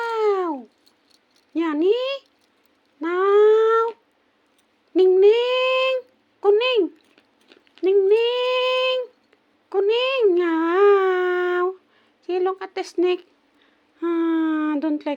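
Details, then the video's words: Female kitten indoors, disturbed while she wants to sleep, meowing repeatedly: about ten drawn-out, nasal meows, some swooping down, others rising and wavering, coming every second or so with brief pauses and a few quick chirpy notes. "Kitten 😻Don't Disturb She Want to Sleep!"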